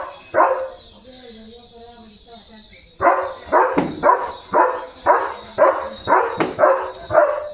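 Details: Leo, a German Shepherd, excited over a surprise chicken chips treat, gives a run of short, sharp barks, about two each second, eight in a row after a quieter stretch with a person's voice and music.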